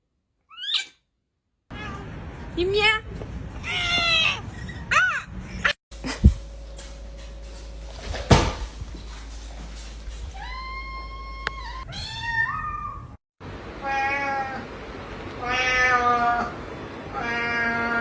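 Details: Pet cats making strange squeaky vocalisations: quick series of rising and falling meows, a long level wavering cry in the middle, then a run of short chirping meows, with a person talking and household clatter throughout.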